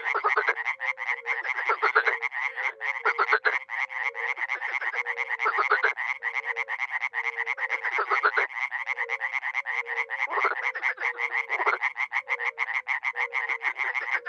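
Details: Dozens of frogs and toads, such as Bombina bombina and Hyla arborea, call at a small pond in a village in NE Romania in spring: rapid rattling croaks overlapping with low, steady tonal notes.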